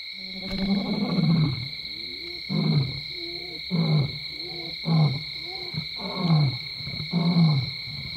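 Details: Wild male lion, the Skorro Breakaway Male, at Londolozi, roaring in the territory of the rival Black Dam Males to make a name for himself. Six deep, heavy grunting bursts about one second apart, with a steady insect drone in the background.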